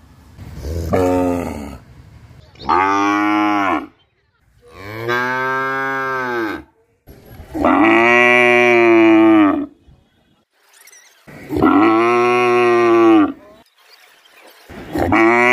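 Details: Village cow in Bangladesh lowing through its daily routine, giving a series of five long, loud harmonic moos, each roughly one and a half to two seconds, separated by short silent gaps, with another call starting at the end.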